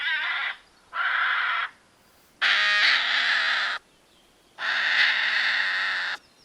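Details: At night, a hedgehog gives four loud, harsh, wailing whines, each about a second long and a little like a crying baby, with short quiet pauses. Hedgehogs make such sounds when under direct attack by predators.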